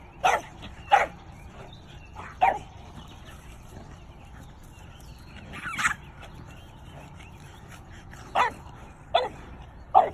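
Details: Guarding her family, a Doberman with a French Bulldog barks at a raccoon inside their boundary in the afternoon; about eight hard, explosive barks come in uneven bursts, with a pause mid-sequence and a quiet background.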